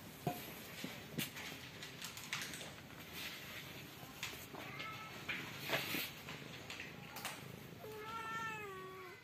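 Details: Mother cat caring for newborn kittens; a few thin, wavering meows with a drawn-out falling call near the end, over background clatter and faint rustling.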